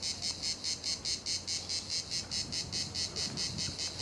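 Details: A cicada at La Garoupe on Cap d'Antibes, France, sings a steady run of rapid, high, buzzy pulses, about five each second.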